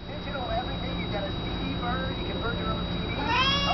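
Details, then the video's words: A pet cat named Vespa meowing at a cabinet indoors; a rising, harmonic meow near the end follows fainter mewing, with a person speaking and a steady background hum throughout. "Vespa meows at cabinet"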